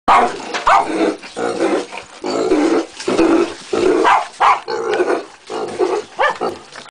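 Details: A six-month-old Jagdterrier growls roughly in rapid, repeated bursts, mixed with short yelps and bark-like snaps throughout, with no other sounds.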